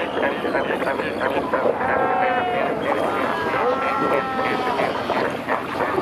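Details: Fur seals at Pelican Point, Walvis Bay, Namibia, met from kayaks in the water, with many pups born in recent days; overlapping harmonic, bleating calls rise and fall through a dense chorus of many animals, over steady water and wind noise.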